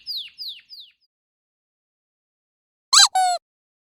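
A puppy gives three thin, high whines that slide downward, then two sharp, bright yips.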